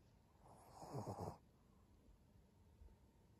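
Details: Senior pug named Maria, indoors in a small room, recorded 14 April 2022, gives one short rough snorting grunt lasting under a second, with pulsed low throaty texture, followed by quiet room background.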